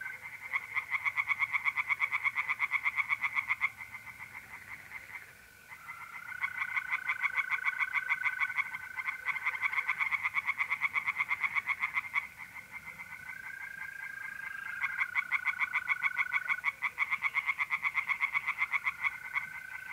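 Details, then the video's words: Night chorus of tree frogs in a pond, mid-April, north-east Italy, in long bursts of rapid rattling croaks broken by short pauses, while mole crickets add stretches of smooth, continuous trilling. "relaxing singing tree frogs in pond"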